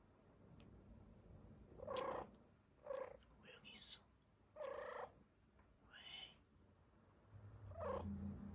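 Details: A silver Bengal cat gives a series of short, odd, throaty chirping cries separated by brief pauses.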